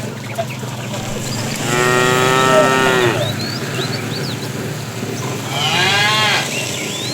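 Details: Bull in a tame herd, herded in the afternoon, calling the female: two harmonic moos about four seconds apart, the first longer, over low background rumble with faint bird chirps.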